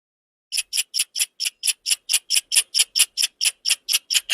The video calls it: squirrel chirps sound effect